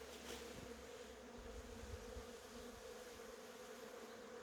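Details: Honey bees working cherry blossoms make a constant humming drone, partly masked by a broad airy hiss and low wind rumble.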